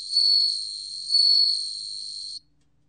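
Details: Bell cricket song recorded by the National Institute of Biological Resources in Korea, 2020: a pure, high ringing tone held for about two and a half seconds, swelling twice in loudness before stopping abruptly, with a faint lower tone beneath.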